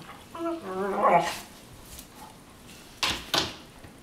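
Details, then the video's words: Two Weimaraner sisters play fighting on their bed in the morning in Cyprus; a whiny, wavering growl-whimper rises and fades over about a second, then two short, sharp, noisy bursts. "Weimaraners fighting on a bed"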